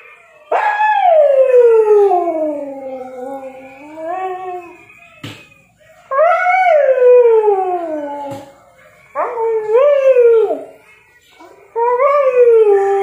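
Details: A sleepy Siberian Husky gives long, wavering howls that rise sharply and then slide slowly downward.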